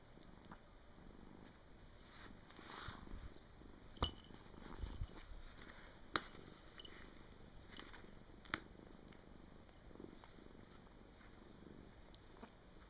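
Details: Pet cat in deep sleep indoors, 23 December 2017: soft breathy snores rise and fall roughly every two seconds over a hissy room background, with a few sharp clicks.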